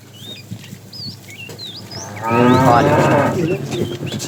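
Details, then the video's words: Tame cattle being herded in the afternoon, a fat cow calling; a rough, loud harmonic moo starts midway and fades over about two seconds, with chirping birds throughout and background rustle. "The funny sound of a fat cow calling the female"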